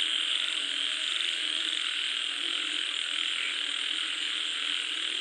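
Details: Frog chorus during falling rain, with many overlapping croaks merging into a continuous, even buzz and hiss, without breaks or clear individual notes.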